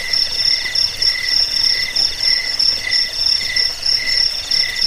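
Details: Steady, rapid chirping of crickets: short high pulses repeat several times a second in a few stacked tones, with no other clear sounds.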